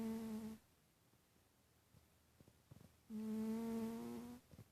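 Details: Snoring of Titus, a domestic cat asleep indoors: two loud, level whistled breaths with a buzzy nasal edge and a quiet gap of over two seconds between them.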